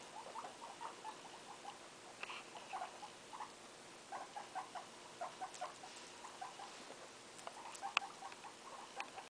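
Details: Guinea pig family with one-day-old young; soft, short squeaks in quick, uneven bursts throughout, with a few higher sharp chirps and light rustling clicks in the background.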